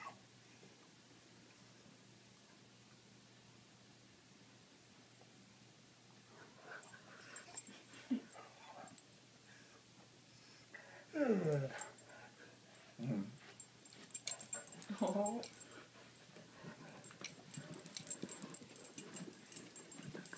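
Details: Corgi; whine; wanting to bury a treat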